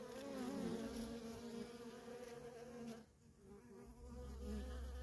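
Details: Worker honey bees streaming nonstop in and out of a wild feral colony: a dense, steady droning hum with wavering bands around 250 and 500, a brief dip in loudness near three seconds, then the buzzing swells back.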